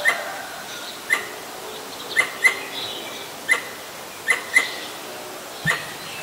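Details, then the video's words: Pallas's squirrel (Callosciurus erythraeus) calling at danger in Ubon Ratchathani, Thailand, 1 January 2023, filmed on a Nikon P1000; sharp broadband clicks about once a second, some paired, with faint bird chirps behind. "กระรอกร้องเมื่อมีภัย Squirrel sing when there is danger."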